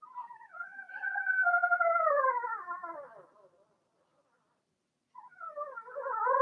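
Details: Blenheim Cavalier King Charles Spaniel puppies from a litter of six, whelped March 7–8, in an indoor home puppy pen during potty training; a long harmonic whine sags slowly in pitch for three seconds, then silence, then a fresh whine rises.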